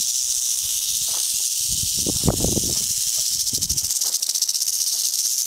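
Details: Rattlesnake at a den in Montana, recorded close up: a steady, hissing rattle buzzes without a break through the whole stretch, with soft rustling and thumps underneath.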